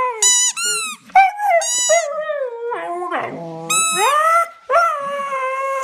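A Siberian Husky howls in wavering, yodel-like bursts that slide up and down in pitch.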